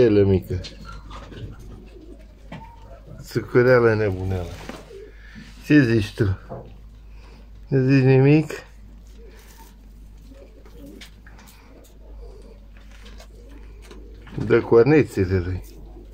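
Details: Newborn male goat kid, the first offspring of the nanny goat Măriuca, kept on a household farm: four quavering, harmonic bleats, each about a second long and irregularly spaced, against a quiet indoor background.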